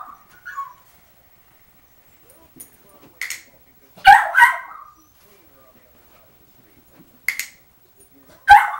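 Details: A foster puppy kept in a crate for the first time cries in the background, giving brief squeaky whimpers, then a double yelp, a short bark and a final harsh cry, separated by quiet gaps.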